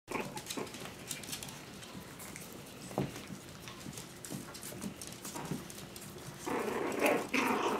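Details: Five-week-old Malshi puppies at play indoors, giving short whimpering yips amid scuffling and scratching of paws, with a louder, fuller burst of puppy noise in the final second.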